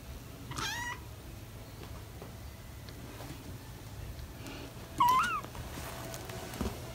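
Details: Almost five-week-old British Shorthair kittens playing indoors, four in the litter with parents Ted and Chloe; a brief high mew early, then a clear short upturned meow, with light household thumps.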